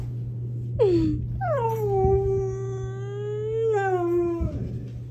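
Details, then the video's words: Siberian Husky, a fluffy white dog with blue eyes, vocalising indoors to wake its owner as an alarm clock: a brief falling yelp, then a long drawn-out howl-like moan that dips and trails off, with a constant low hum. "Fluffy Talking Husky Alarm Clock"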